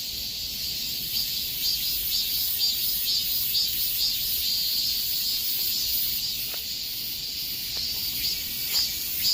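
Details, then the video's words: Summer-heat cicada chorus: continuous high, hissing drone with gentle rhythmic swells roughly twice per second, several overlapping insects blending into one steady wall of sound. "삼복더위에 들을 수 있는 매미 소리 효과"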